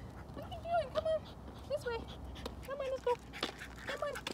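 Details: Two-year-old French Bulldog named Charlie, in training with a dog trainer in Port Saint Lucie, Florida, gives short, high, whimpering whines, several tonal cries rising and falling in quick succession, while a man talks to him and coaxes him along.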